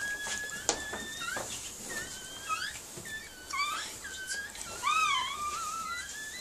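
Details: Female Miniature Pinscher whimpering while giving birth to puppies: a series of high, thin whining notes that sweep up and down in short arcs, some rising and then falling, clustered irregularly with faint room noise between.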